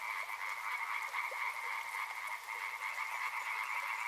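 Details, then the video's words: Frogs croaking en masse by a river, a continuous buzzing trill in two pitches with irregular pulses and the occasional stronger call standing out against soft water noise. "Frog Sounds | Soothing sounds of river and frogs"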